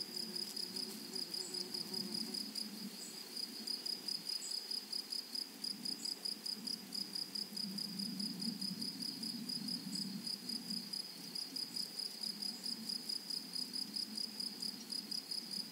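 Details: Grasshoppers in a flowery meadow produce a long, steady series of high, metallic pulses, closely spaced and unbroken, with a soft low outdoor rumble swelling and fading in the background.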